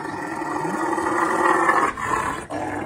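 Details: Male Rottweiler, angry over his squirrel toy, growls loudly with his mouth open after being pushed off, without lunging or biting. The recording is slowed down. A rough, sustained rumbling growl lasts about three seconds with two brief breaks, and a man speaks around it.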